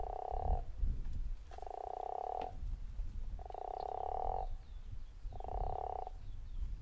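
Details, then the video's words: Guttural toad calling at Zeekoevlei, four rough, pulsed snore-like croaks roughly a second apart, against persistent low-pitched background rumble. "The Snoring Toad"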